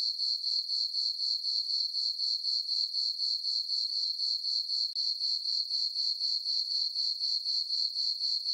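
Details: Summer-night crickets in a meadow on a farm under full moonlight give a sharp, metallic chirping that pulses steadily around four times per second, uninterrupted and without other noise.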